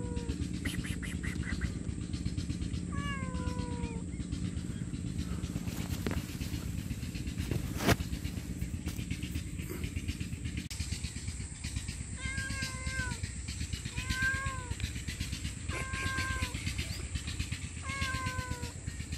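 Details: Homeless stray cat, hungry, calls loudly for food and shelter: one early meow, a quiet stretch, then a run of bent, downward-sliding meows in the second half, all over a persistent low drone and hiss.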